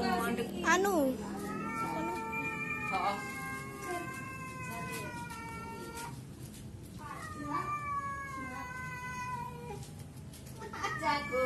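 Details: Two cats talking to each other, long drawn-out wavering yowls with rich harmonics, rising and falling, one voice answering another, with a short sharp meow at the start and end and faint background hum.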